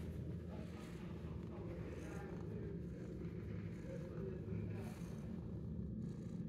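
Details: A 10-month-old shelter cat that loves attention, purring in a steady, low, continuous rumble for the whole stretch, with faint murmuring sounds in the background.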